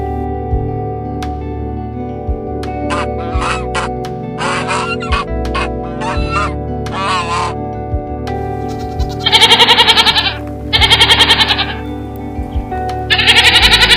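Goat bleats, wavering and tremulous, over a steady bed of soft music.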